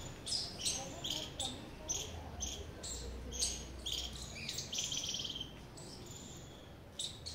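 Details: Squirrel call made of rapid high, raspy chip notes, several every second for about seven seconds, then a short gap before a final note, over faint low rumble.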